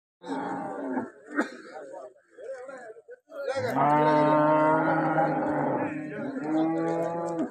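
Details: Vechur calves at a cattle market near Parippally on the Thiruvananthapuram–Kollam district border in Kerala, India; a long, steady, deep moo with rich harmonics dominates after human voices and shorter lowing at the start.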